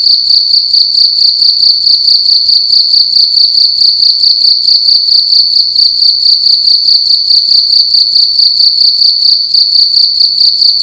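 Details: Indoor cricket at night producing loud chirps, a sharp high-pitched trill made of quick regular pulses that carries on steadily, room otherwise quiet.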